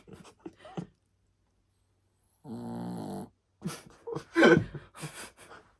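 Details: Sleeping Shih Tzu snoring indoors, a steady buzzy droning rasp lasting about a second after a few soft breathy snorts, followed by bursts of loud family laughter and voices reacting to the snore.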